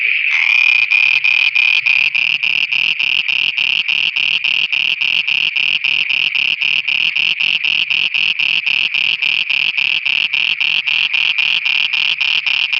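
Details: Frogs calling at night in Pakistan: a loud, steady run of harsh pulsed croaks, about three to four per second, continuing without a break for the whole stretch.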